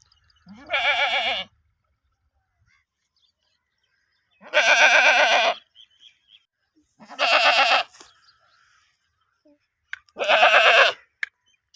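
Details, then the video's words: Goat from the UK, four wavering bleats spaced a few seconds apart, each about a second long with a quavering, vibrato-like tremble, separated by near silence. "Goat sound"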